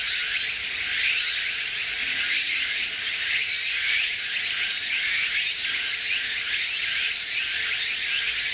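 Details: A Walker's cicada (tsukutsukuboshi) sings loudly in Chiba, Japan, on 12 September 2010 in late summer, a shrill, high buzzing song in rapid repeated pulses.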